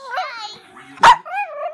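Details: Baby Girl, a pet female Chihuahua, talking back at home: a drawn-out, wavering whine-like vocal, then one sharp, loud bark and a shorter whiny sound after it.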